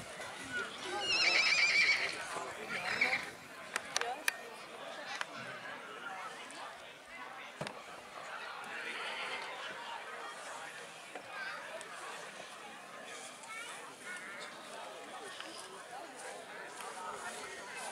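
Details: Black Forest Coldblood colt foal, born 18 April 2022, at a foal show in Kohlenbach, Germany, on 13 August 2022; a loud high whinny in the first seconds with a shorter one after, then steady talk and murmur from onlookers.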